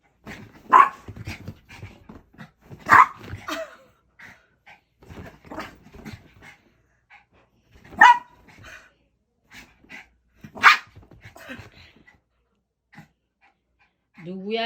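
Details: An unusually excited puppy at play indoors giving single sharp barks spaced a few seconds apart, with softer scuffling and small yips between them, and a person's voice at the end.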